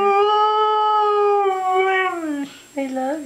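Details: Indoors, the female Siberian Husky Mishka 'talks' an 'I love you' in reply to her owner: a long sustained howl-like tone over two seconds, sagging at its end, then a short rising second note after a pause.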